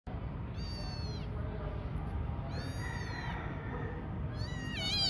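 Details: Domestic cat meowing: three drawn-out, slightly wavering meows with rich harmonics, spaced about two seconds apart, the last rising and wobbling, over a steady low rumble of background noise.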